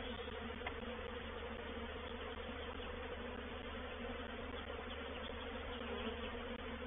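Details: Reproductive swarm of honey bees entering a bait hive at Painted Peacock Manor, 04/07/21; a dense, continuous droning hum of many wings holds an even level without pause.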